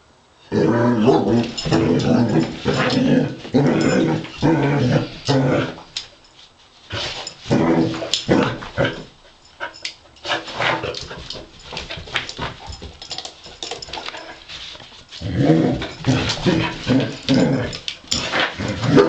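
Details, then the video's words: Pet Basset Hound Wilma wrestles a robot dog, voicing a long series of rough, rumbling growls broken by brief pauses, with faint scuffling between bursts. "Basset Hound verses robo dog!"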